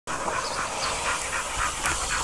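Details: A dog panting on a hot day: quick breathy huffs recurring roughly every half second, blended into steady hissing background noise.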